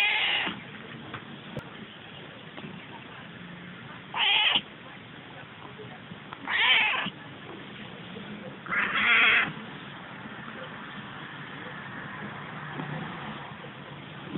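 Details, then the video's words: Female Selkirk Rex cat meowing indoors: three drawn-out, slightly harsh meows spaced about two seconds apart after a soft opening call, over a low background hum. "The voice of Selkirk Rex girl Ronja"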